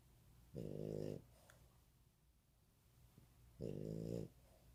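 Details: Pet dog asleep indoors, snoring in a steady rhythm: two buzzy, throaty half-second snores about three seconds apart, with a soft click and faint breathing between them in a quiet room.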